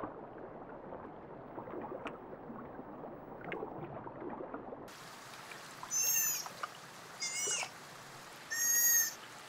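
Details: Sea otter (Enhydra lutris), call.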